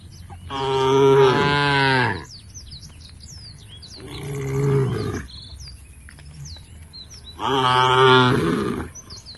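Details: Tame cows in a herd walking toward a field at a forest edge: three long, deep, harmonic moos, each about one and a half seconds long with pauses between them, while small birds chirp in the background.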